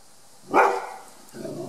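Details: Ruby, a five-year-old 36 kg female Rhodesian ridgeback, on guard in her home back yard in July 2018, gives one loud, deep, abrupt bark followed by a softer, lower trailing sound.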